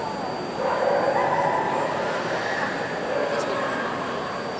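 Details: In Reggio Emilia, Italy, in 2019, an Alaskan Malamute gives drawn-out, whining vocal notes over a noisy, chattering background.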